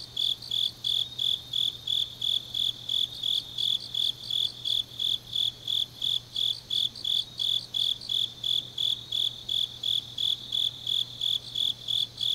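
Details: Grass insects singing on a deep autumn night in Changnyeong, South Gyeongsang, South Korea: high, bright chirps pulse about three times a second in a steady rhythm over a faint low hum.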